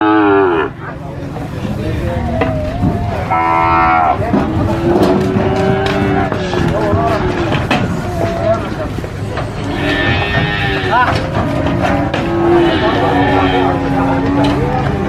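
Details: Cattle at an animal market during unloading, several overlapping moos, some long and wavering, others short, with loud crowd and vehicle noise and voices throughout.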